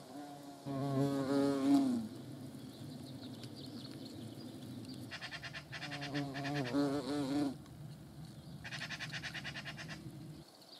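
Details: Close-range hornet flight: a steady low buzz swells for over a second, returns stronger for about two seconds, then gives way to a burst of dry, rapid clicking and rustling.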